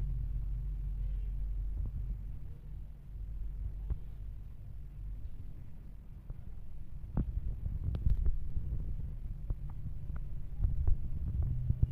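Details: Steady low hum with faint clicks and soft rustling close by; no animal voice stands out.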